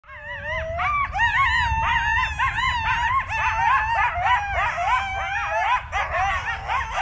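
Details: Several coyotes howl together in Yosemite National Park, their wavering, yipping voices rising and falling in a tangled chorus.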